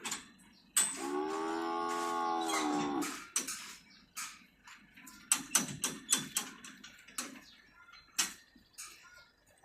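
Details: Calf among a batch of 17 calves being delivered in Phayao province, Thailand, gives one steady, harmonic moo lasting about two seconds. Clattering knocks and bumps follow, with people's voices nearby.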